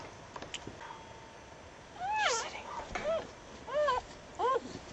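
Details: Newborn puppies with their mother, found late on a winter night after a snowstorm: a few high, arching squeaks and whines rising and falling, spaced about a second apart, with faint speech before.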